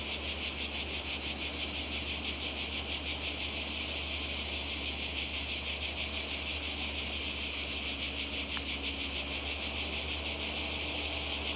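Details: Croatian seaside cicadas in summer 2020 keep up a loud shrill rasping buzz, evenly pulsing and never stopping, with a single brief click midway and a low steady hum underneath.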